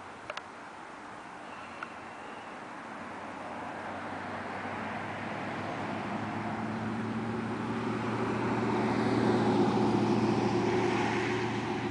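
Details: Low droning engine noise that swells toward the end, with a couple of faint clicks early on and no animal voice.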